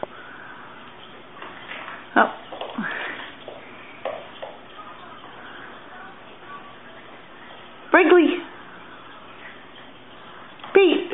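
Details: Two Boston Terrier puppies, Pete and his sister Brinkley, fighting over their toys indoors; short harmonic yelping cries burst out near the middle and again at the end between quiet stretches, with a person talking softly throughout.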